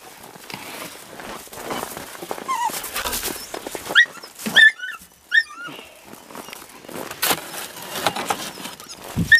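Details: Male stud dog Sobol, eager and pushy toward a visiting female named Taina, lets out a run of high, thin, whistled whimpers with squeaky upward curls, clustered in the middle of the stretch, over rustling and background noise.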